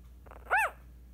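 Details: Female Scottish Terrier puppy only 8 days old gives a single short squeal, an arched whine rising then falling within about a fifth of a second, over a steady low hum in a quiet room.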